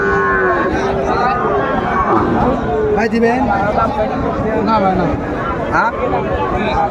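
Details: At a Bangladeshi cattle market in Comilla, December 2024, Sahiwal cattle give short sliding lows amid loud market chatter and sharp knocks, with voices bargaining throughout.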